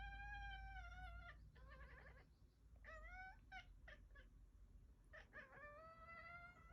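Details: Domestic cat yelling a series of loud meows: long wavering wails that rise in pitch, broken by short choppy cries and clicks, repeated several times over a constant low background rumble.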